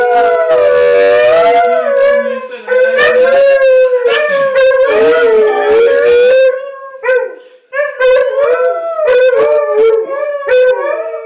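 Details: Malamutes and a West Siberian Laika howling as a chorus: drawn-out quavering howls at first, then broken into shorter howled bursts and yips separated by brief gaps.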